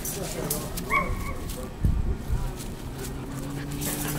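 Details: German Shorthaired Pointer puppies, 14 weeks old, from the Squirrel x Freya litter, playing on 02 08 22; a brief high whining yip slides downward near the start, with low rumbling background noise and scuffling.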